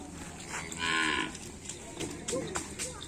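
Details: Cattle at a Karapan Sapi bull race, with the Kembang Api team paired against the Sapu Jagat team: one loud, broad, bright moo lasting under half a second, followed by scattered clicks, bangs and crowd noise.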